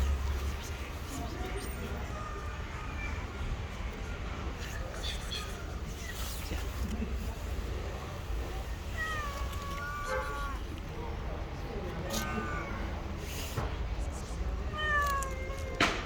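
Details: Stray cat living on the street, giving several short wavering meows, some in quick pairs, over steady low street rumble and faint voices.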